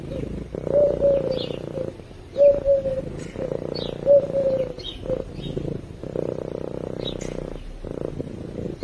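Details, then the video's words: Domestic cat purring while asleep, recorded close to a microphone: a steady low rumbling purr in breathing cycles, each stretch lasting about one to two seconds with short pauses between, plus faint high chirps in the background. "Cat Purring While Sleeping"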